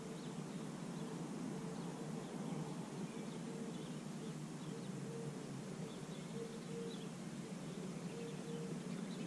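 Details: Bee collecting pollen on dandelions in early spring: a steady low droning buzz with a faint, even hum above it, running throughout over a constant outdoor background hiss.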